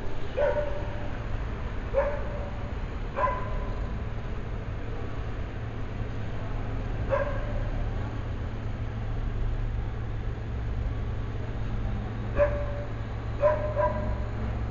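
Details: Morning barking by a dog at thin air around 8 AM on a weekend: sharp barks every one to two seconds at first, a long pause, then a few more, all over a constant low hum.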